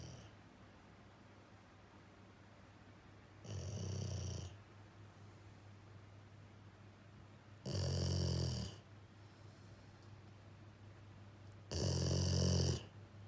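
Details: Jiji, a male rescue dog of Labrador-Schnauzer mix, sleeping and snoring indoors, loud enough that his female companion Kuu comes to see. Three heavy, grating snores arrive about every four seconds, with soft silence between them.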